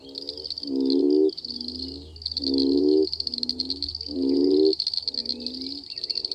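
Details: Frogs croaking in a mating frenzy after summer rains: rhythmic bursts of pulsed, rattling croaks about every one and a half seconds, loud and softer calls alternating, over a steady high-pitched buzzing drone.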